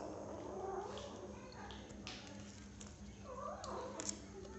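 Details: A 6-week-old kitten having cat food for the first time gives short, wavering high mews, one rising then falling near the end, over a steady low electrical hum and faint clicks.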